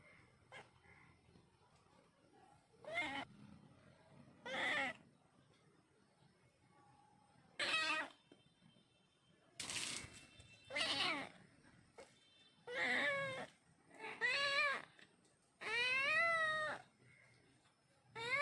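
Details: Cat giving a series of about nine meows, some short and clipped, others long with wavering, bending pitch, the last a drawn-out rising-falling wail. Faint background hum.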